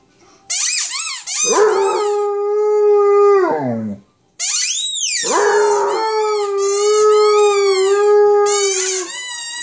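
A Basset Hound gives long, drawn-out howls, squeaky yelps at the start, breaking into a wavering wail.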